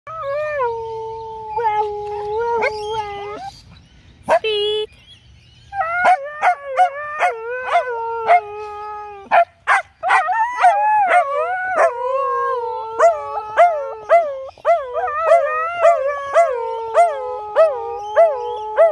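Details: Two dogs, a husky and a corgi, howl together in the afternoon in long, wavering, tonal cries.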